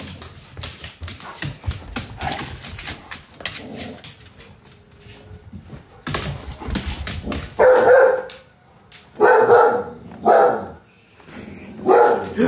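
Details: A female redbone coonhound, scared by her owner, gives loud, drawn-out yowling barks, calling her big brother, an American Doberman, to come defend her.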